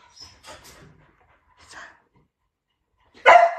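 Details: Pet dogs, a Labrador named Laoda and a Teddy named Shiliu, during a patience contest: faint soft sounds and quiet, then one sharp, loud bark bursts out near the end.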